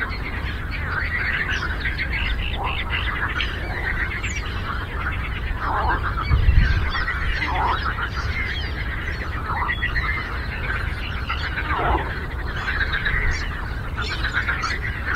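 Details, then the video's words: Lake frog chorus: dense overlapping croaks with rattling pulses, a few louder calls standing out now and then, a brief low thump midway, and persistent low-frequency rumble throughout. "Frog Croaking"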